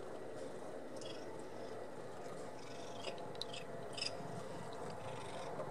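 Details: Domestic cat purring while eating shrimp with the shell on, a steady low rumbling purr throughout with faint crunching clicks of chewing.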